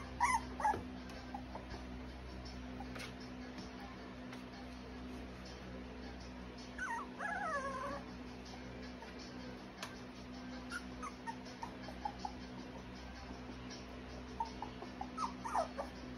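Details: Cocker spaniel puppies with a faint yip early on, then a drawn-out, wavering whine a little over a second long midway, and soft scattered squeaks over a constant low hum.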